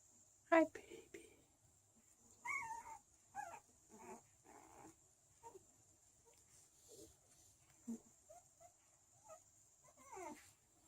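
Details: Chow Chow puppies, 13 days old, from a small kennel in Sweden, sixth litter, give high wavering whimpers and squeals that rise and fall in short bursts about once a second, with a soft human voice nearby.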